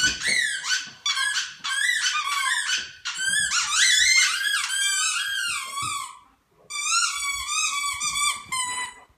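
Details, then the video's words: Two dogs, an Ibizan Hound and a German Shepherd, howling together indoors in a duet. High, wavering whines slide up and down and overlap, with a short pause before a final rising and falling howl. "Dog SONG - Podenco Ibicenco and German Shepherd"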